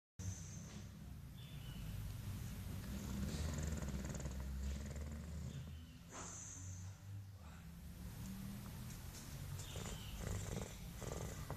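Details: Mike, an English Bulldog, snoring as he sleeps and suckles his tongue: a steady, deep rumbling drone with soft rhythmic pulses, plus occasional short high hissy bursts above it.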